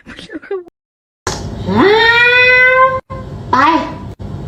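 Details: Kitten meowing indoors: a long drawn-out meow that rises and then holds level for over a second, followed by a shorter rising meow, with brief bits of human talk before and between.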